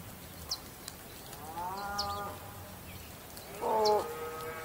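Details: Bull mooing twice: a longer, rising then level harmonic low at first, then a shorter, louder bellow near the end. Brief high chirps from small birds come through throughout.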